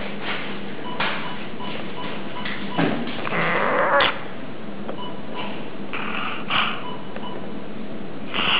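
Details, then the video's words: Bulldog with brachycephalic syndrome, whose overly long, thick soft palate at the entrance of the trachea causes snoring and breathing difficulty: continuous rasping, noisy breaths indoors, with a louder snorting burst midway and several shorter snorts after. "Ronflement du bouledogue"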